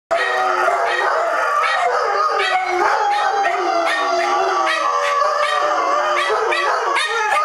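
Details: Several dogs howling together while left home alone; overlapping, wavering, tonal howls rise and fall continuously and densely throughout, with no pauses.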